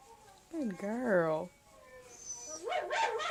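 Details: Siberian Husky puppy giving a rising and falling wavering howl, followed by quieter yips and whining with a little background voice.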